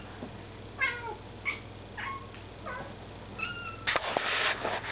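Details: Domestic cat chattering at a moth it has spotted indoors: short chirpy calls with falling and rising inflections, several spaced about half a second to a second apart, ending in a burst of rustling noise.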